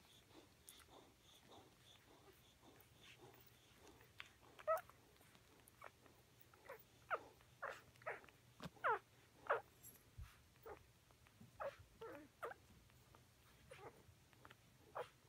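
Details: Bella with her pups: a long run of high squeaky whines and brief yelps, irregularly spaced and rising in loudness through the middle, with a faint steady hum underneath in a quiet indoor setting.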